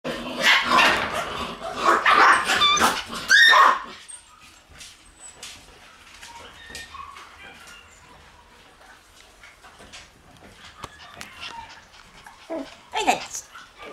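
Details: Shiba Inu puppies in a kennel room on August 28, giving a rapid burst of high, shrill yelps and yaps for about three and a half seconds, then quieter scuffling with one more sharp yelp near the end.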